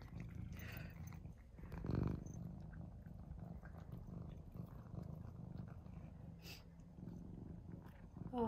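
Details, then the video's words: Cats Mouse and Remi going crazy for tuna: an even, low purr runs throughout, a woman speaks softly over it, and a bright rising meow breaks out at the very end. "Cats Go Crazy For Tuna"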